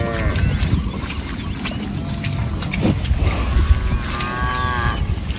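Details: Cattle from a group roaming and grazing in a rice field, with a short harmonic moo at the start and another drawn-out lowing call near the end over a steady low rumble of wind or outdoor noise.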